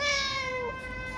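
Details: A cat at a shared mealtime with several cats gives one long, steady, clear meow that slowly falls at the end, with no other sounds.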